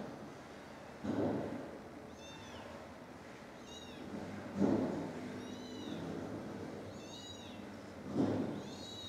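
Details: Stray mother cat, filmed from far away with a 42x zoom, calling as she finds her dead kittens and rescues the last one: three loud, drawn-out meows roughly every three and a half seconds, with thin high chirps between them.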